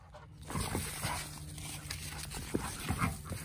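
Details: A female Rottweiler gives a low, rumbling growl, warning off a male Schnauzer that keeps trying to mount her as she retreats; finding: Rottweiler.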